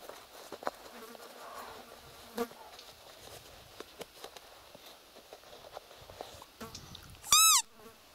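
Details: A roe deer with fawns in the wild in the Trans-Urals. A single short, high, piping squeal near the end arches in pitch over faint ticks, rustles and insect buzzing.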